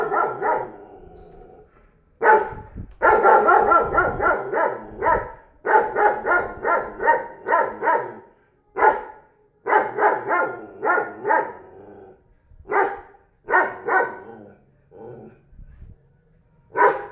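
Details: A 40 kg dog recently acquired by a neighbour barks repeatedly in hoarse, heavy volleys, with short pauses between groups of two to four barks over the whole stretch.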